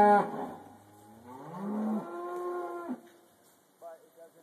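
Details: Black Angus cattle being loaded onto a trailer at a leased farm property for a short haul; a low moo rising into a long harmonic bellow of about two seconds, then a brief fainter call, with some handling clatter.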